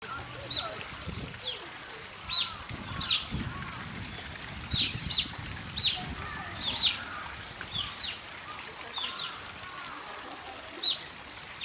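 Asian small-clawed otter giving short, piercing high chirps and squeaks, about one a second in irregular bursts, over a low murmur of background noise.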